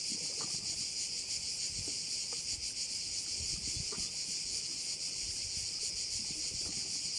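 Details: On Korčula, Croatia, crickets fill a bay with a steady, high, sizzling buzz that pulses slightly, over a quiet background with a few soft low bumps.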